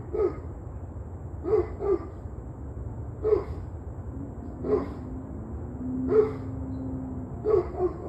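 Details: Dog barking on the evening of 21 November 2023 at 7:06 pm: short, hoarse single barks and occasional doubled barks at roughly one-to-two-second intervals over a steady low background rumble.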